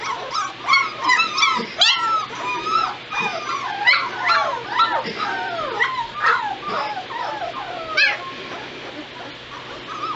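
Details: Several White Shepherd pups, two weeks old, from a litter filmed on 22 November 2016, whimper together: overlapping thin, sliding squeals and short yelps, rising and falling, tumbling densely before thinning out near the end, with a low background hum.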